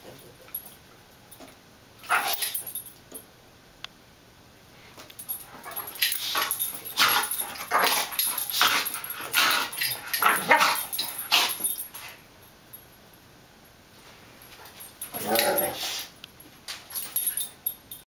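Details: Two dogs playing together indoors in an office, a Great Dane puppy and a cattle dog mix, with a French Bulldog puppy wanting to join; bursts of whiny yips and noisy scuffling grunts in clusters, with quiet gaps between.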